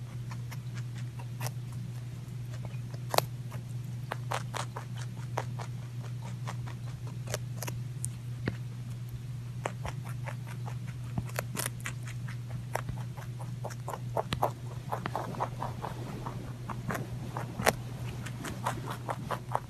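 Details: Rabbit munching food indoors, sharp separate crunches and snaps at irregular intervals, some in quick bursts, over a steady electrical hum.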